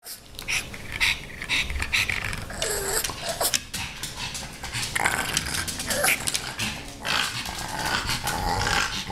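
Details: Rudy, a female pug, makes rough snorting growls while trying to play with Ms. Creamy the kitten indoors; bursts come irregularly with short breathy gaps and scuffling in between.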